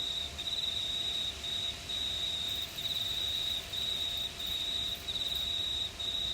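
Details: Crickets chirping on a warm summer night under a starry sky in a quiet regional town of New South Wales, Australia; a steady high pulsing trill broken into bursts about every half second to second, with faint fainter trilling behind.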